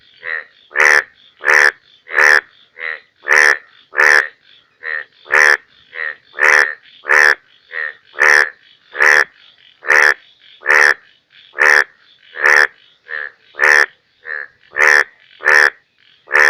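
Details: Indian bullfrog calling in the rainy season in Bangladesh: loud, harsh, throbbing croaks repeated rapidly, about twenty in a quarter minute, with quieter, shorter croaks slipped between them, suggesting more than one caller.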